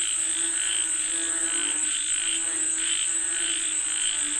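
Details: Frogs calling for rain give quick repeated croaks, about a hundred bursts a minute, uneven in spacing, against a constant shrill high tone.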